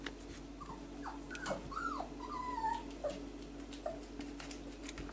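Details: A four-week-old male Whippet pup exploring his range of vocals, giving a series of thin, rising and falling whines and squeaks, some drawn out and wavering, over a steady background hum.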